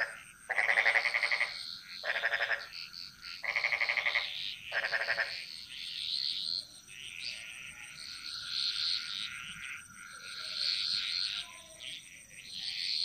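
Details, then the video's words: Jungle frog chorus in Bali: four loud, grating pulsed croaks in the first five seconds, then softer, higher frog calls and chirps carrying on in the background. "Frog Mantras - Relaxing Sounds Of Bali"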